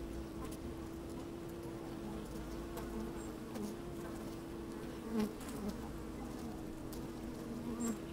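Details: Working honey bees heard from a microphone slid inside an open hive on a fine, breezy day: an even steady hum with a held tone, occasional brief louder buzzes, notably around five seconds, and soft scattered clicks.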